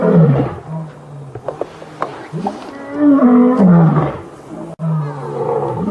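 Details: Male lions of a coalition challenging a rival coalition at the start of a takeover, 5 August 2015, with roaring all around: deep moaning roars that slide down and up, two loud bouts with softer grunts between.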